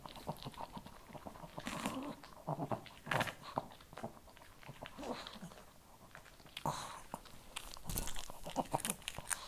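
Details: Indoors, a Shih Tzu chews kibble: crisp crunches and biting snaps come in clusters separated by short pauses, with a quieter stretch in the middle before chewing resumes strongly.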